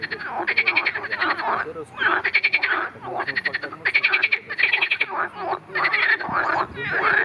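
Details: Marsh frog, in a recording that also covers its attack by a grass snake: loud bursts of rapid, rattling pulsed croaks repeat almost without pause, with buzzy, nasal tones between the rattles.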